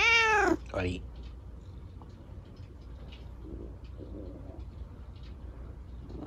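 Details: Rescued kitten Chico, lame after an accident, being scratched by dad before bed: one loud, clear meow that falls in pitch at the start, then a brief second note, followed by quiet room noise.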